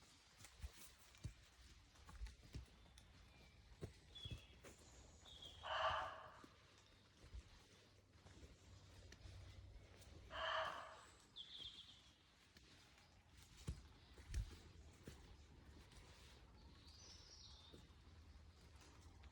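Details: A roe deer gives two hoarse, gruff barks several seconds apart, with faint bird chirps in between.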